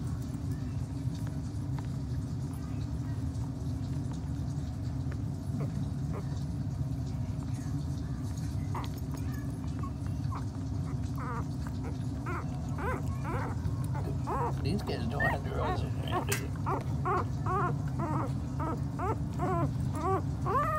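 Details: Two-week-old Miniature Pinscher puppies, five males, with their mother Mrs Hope, eyes newly open and starting to fight and play; after a quiet stretch comes a rapid run of short, high, arched squeaks over a steady low hum, with a person talking.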